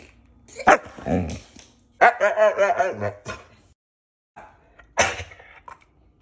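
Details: Siberian Husky talking back after being told to speak: a short yelp, then a warbling grumbling vocalisation of about a second, pauses, and another brief grumble, with a man's voice between.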